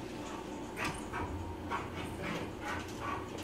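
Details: An excited Saint Bernard, Lula, wanting to go out, repeats short high whimpering yips about every half second against a constant hum, a woman asking her in Spanish if she wants to go out.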